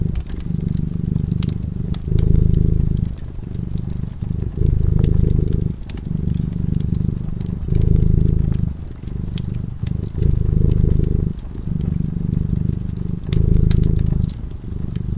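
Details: Sleeping cat purrs beside a fire. A low, throbbing rumble comes in repeated phases of one to two seconds with brief pauses, over a steady bed of crackling, popping flames.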